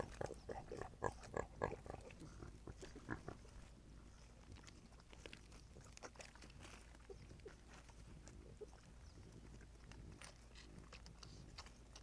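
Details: Javelina mother scolding her reds, the reddish-brown young still craving milk, as they attempt to nurse. Rapid, pulsed grunting chatter fills the first three seconds, then fades to scattered soft grunts and shuffling.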